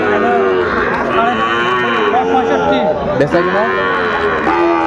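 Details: Sahiwal bull calves at Dinajpur's Ambari market, Bangladesh, on 23 February, early in the trading day. Sustained, slightly wavering moos follow one another almost without pause against steady crowd chatter.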